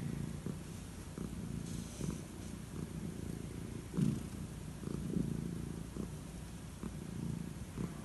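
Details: Old calico cat getting head strokes at bedtime, purring in a low, even rumble that rises and falls with each breath, with soft stroking rustles and a brief louder thump near the middle.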